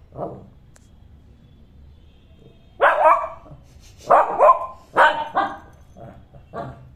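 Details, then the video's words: Shih Tzu puppy that wants to play while its owner is not interested, giving a soft early yelp, then a run of loud, sharp barks in quick clusters, fading to smaller yips, indoors with quiet background. "when he wants to play with you...and u r not interested 😜"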